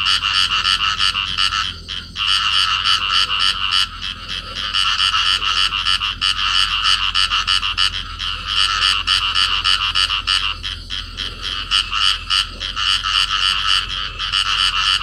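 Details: Pair of field frogs calling while clasped together in amplexus, recorded in Cầu Kè, Vietnam: dense, rapid croaking pulses, about three per second, forming a continuous harsh chorus with brief pauses near two and ten seconds.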